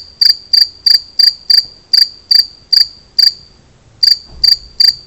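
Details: Song of a two-spotted cricket, a run of sharp, bright chirps about every third of a second, broken by one brief pause before the chirping resumes.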